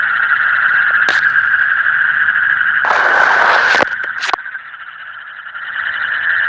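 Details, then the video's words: Frogs calling in the deep night near Sylhet; a dense steady trilling chorus, pulsing rapidly about four times a second, with brief louder noise bursts midway and a quieter stretch before the chorus swells again. "Call of the frog in the deep night"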